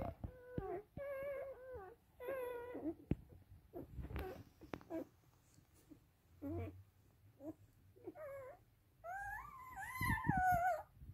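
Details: Rough Collie puppies of the "S" litter at a kennel in Vienna, Austria: thin, wavering whimpers and squeaks in quick runs, indoors, with a louder rising and falling squeal near the end and faint low rumbling behind.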